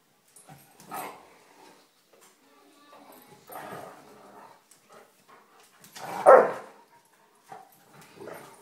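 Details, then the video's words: Three pet German Shepherds teasing one another in a spat: rough, throaty growling bursts near one, four and six seconds, the loudest and harshest around six seconds, with a softer grumble at the end and quiet pauses between. "German Shepherds having a spat"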